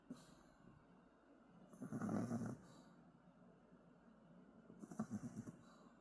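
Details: A sleeping puppy named Riri snores: a loud, rough inhaled snore around two seconds, then a shorter, fainter snore near five seconds. The low grating breaths carry a breathy hiss, and it is otherwise quiet.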